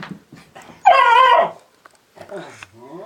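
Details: Lemon beagle, a pet dog indoors, vocal about being bothered by other household dogs: a strained, wavering whining yowl of about half a second amid a woman's coaxing speech.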